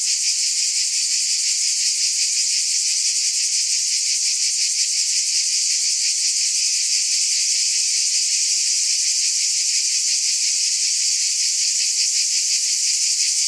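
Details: Long unbroken cicada chorus: a high, sizzling buzz with fine fast pulsing, steady and dense, nothing else audible.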